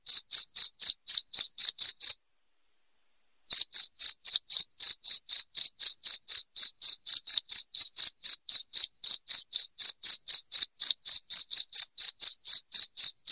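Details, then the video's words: Shrill cricket chirps meant to chase away rats at home. The high pulses repeat steadily at roughly four a second, break off briefly after two seconds, then resume unchanged. "SUARA JANGKRIK NYARING PENGUSIR TIKUS"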